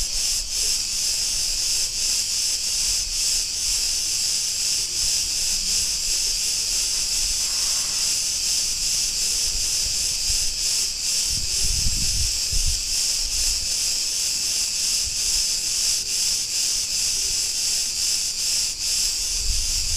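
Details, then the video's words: Chorus of cicadas in a street of Ierapetra on Crete, Greece, a continuous shrill sizzling drone with fast rhythmic pulsing throughout. A faint muffled low rumble rises briefly around the middle, then fades. "Cretan cicadas sounds"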